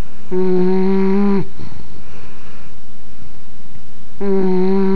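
An English bulldog snores with long, droning, buzzy breaths and a quiet pause between them.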